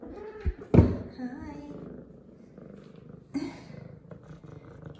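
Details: Female F2 Savannah cat, happy and clean after her morning shower, gives one short sharp call early on over a steady low purring rumble, while a woman speaks softly nearby.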